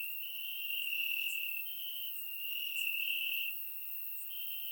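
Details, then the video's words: Warm summer night in Bulgaria with crickets in the grass: an unbroken thin high trill that gently rises and falls in loudness, joined by occasional faint higher chirps from more crickets. "Cricket Sounds - Crickets Chirping at Night"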